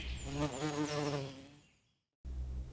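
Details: Honey bee giving a steady, low droning buzz with a slightly wavering pitch for about a second and a half. The buzz then fades to silence, and a voice follows.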